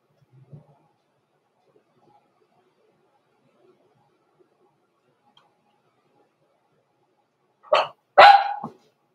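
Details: Blenheim Cavalier King Charles Spaniel puppies, born November 14, 2022 to Pom-Pom in a small litter, kept indoors in a home puppy pen at Christmas: long near-silence with a faint soft sound early, then two sharp, close barks right at the end.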